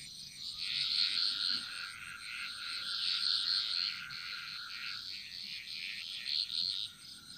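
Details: Frogs chorusing in a Bali jungle: a dense, overlapping mass of high buzzy trills and pulsed notes, some bursts rising above a steady shrill drone and a faint continuous high tone throughout.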